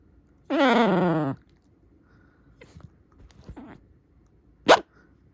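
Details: Shiba Inu named Hana, described as furious, gives one loud wavering grumbling growl lasting under a second, rich in harmonics. A few faint knocks and a sharp click follow in an otherwise quiet indoor room.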